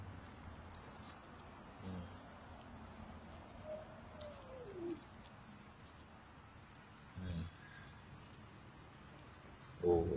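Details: Feral black-and-white Persian Himalayan cats fed by an Indonesian worker in Arabia; one faint, drawn-out meow arcs up and then slides down mid-clip, with quiet talk and handling noises around it.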